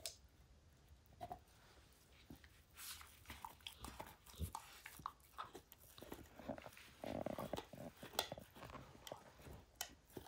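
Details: Pet dog Max gnawing at a baseball until its hide comes apart, indoors; sharp clicks and crunches scattered unevenly, some tearing scrapes, busiest between three and eight seconds.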